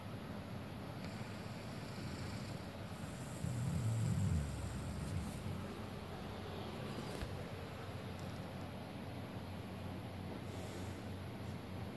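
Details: Only a steady low rumble like an engine or wind is heard, with no clear animal sound. A brief louder swell of the same deep noise comes partway through.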